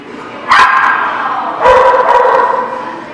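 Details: Dog recorded on 21 January 2019 at The Barking Lot, giving two loud, tonal barks about a second apart, the second one drawn out and wavering, with a faint murmur of background noise between them.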